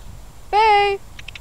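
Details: Boo, a female dog at The Mayhew Animal Home waiting to be adopted, gives one steady, clear whine lasting about half a second, level in pitch with a rich harmonic tone, followed by a few soft clicks against a quiet background.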